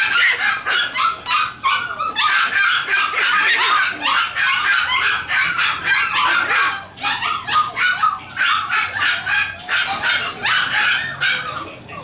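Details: Havanese puppies for sale in Toronto, Canada, giving a near-continuous stream of rapid, high, sharp yips and short barks. Several overlapping voices with brief pauses repeat about three times a second.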